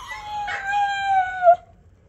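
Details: Oreo, a pet Siberian Husky, prompted to "say" Radhe Radhe, gives a single drawn-out tonal howl lasting about one and a half seconds. It holds a steady pitch, wavers slightly, then cuts off abruptly with a brief upward flick.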